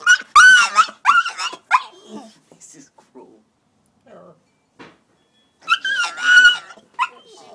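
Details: Coco-T, a puppy shut outside after a toilet accident, gives loud wavering cries at the start, falls quiet, then resumes with another long strained wail near the end.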